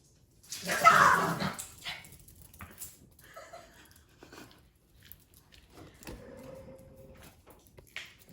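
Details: Puppies confused by an invisible wall set up indoors: one loud, harsh bark near the start, followed by quiet shuffling and a faint, brief tonal whine later on.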